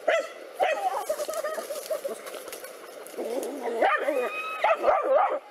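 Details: Two black dogs confronting a cobra give loud barks at the start. A rough, noisy stretch follows, then a fresh run of strained, yelping barks near the close.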